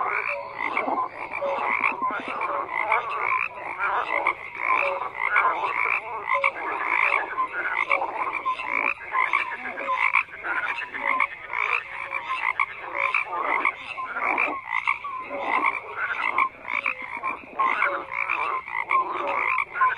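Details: A continuous chorus of croaking frogs, countless overlapping rasping calls and pulses forming a thick, unbroken wall of sound with no other noises.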